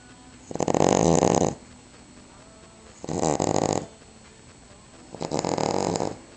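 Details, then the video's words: Snoring Cavalier King Charles Spaniel, dozing after a Christmas turkey meal; three rough, buzzy snores, the first loudest and about a second long, the next two softer, spaced roughly two seconds apart in a quiet room. "SNORING AGAIN! Cavalier King Charles"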